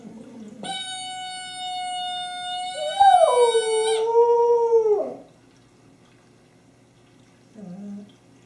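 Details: Honey, a pet dog with her favorite squeaky toy, recorded 24 January 2012, gives a long steady howl with rich harmonics that wavers and then slides downward before fading, followed by a short low whimper.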